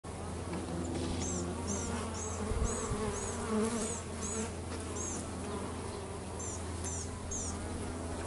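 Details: Bees at home while they work: a steady low droning buzz with wavering tones, overlaid by a run of short, high, repeated chirps, roughly two per second, from another small creature.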